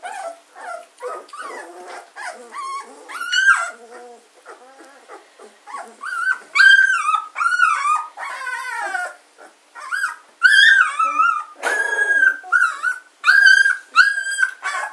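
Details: German Shorthaired Pointer puppies, two weeks old, Katelands gundogs, filmed 24 August 2016: a long run of high whines and yelps, some wavering and drawn out, growing louder and more insistent after the midpoint.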